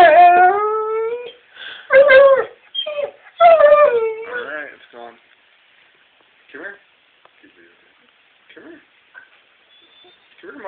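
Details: Greater Swiss Mountain Dog Chezna, on a Hocking Hills cabin trip, reacts to old coffee with drawn-out harmonic whining yowls over the first four seconds, then quieter scuffles and brief voices.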